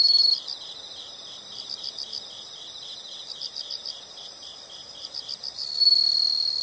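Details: Insects heard in a natural sound recording: a loud shrill trill cuts off at the start, followed by soft, fast, high pulsed chirping for several seconds until a bright trill swells again near the end.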